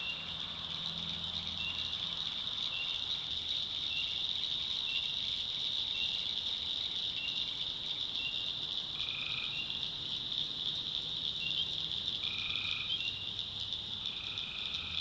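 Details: Tree frogs calling at night in a swamp in the backwoods of North Carolina: a steady high-pitched shimmering chorus, overlaid by several separate nasal, buzzy calls of about half a second, scattered irregularly, with a faint low hum underneath.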